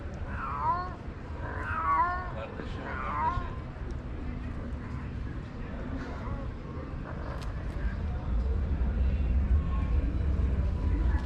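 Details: Black cat, a stray, upset at catching another cat on a tree with his female; three drawn-out, wavering meows in the first few seconds, then low rumbling traffic-like noise and faint voices.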